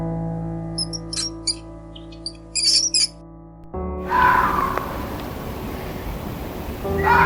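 A mouse gives a run of brief, very high-pitched squeaks over steady background music.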